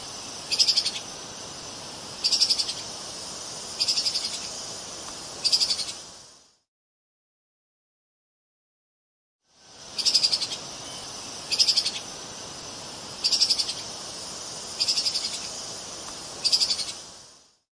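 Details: Two runs of four high-pitched, buzzy pulsed chatters from a treeshrew (Tupaia), spaced about one and a half seconds apart, over steady hiss, separated by a few seconds of silence.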